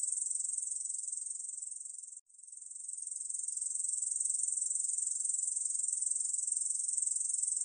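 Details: High, rasping continuous trill of a Korean bush cricket, 2020 National Institute of Biological Resources recording; the buzz breaks off for a moment after two seconds, then resumes and builds back to full strength.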